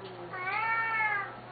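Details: Siamese cat meowing at feeding time, one of two loud house cats: a single drawn-out, wavering meow with rich harmonics lasting about a second, while a person asks if it is hungry.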